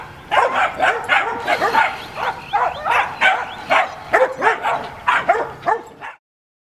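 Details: Puppies yipping and whimpering in a lively chorus, short high rising-falling yelps repeated rapidly with barely a pause, several voices overlapping for about six seconds before stopping abruptly.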